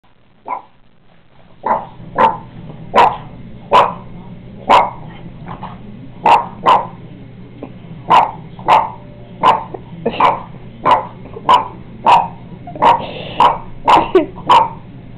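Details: Boston Terrier Anna, a pet dog, barking at a painting of Otto as a puppy: about eighteen sharp barks, first spaced then coming roughly every second, over a low steady indoor hum.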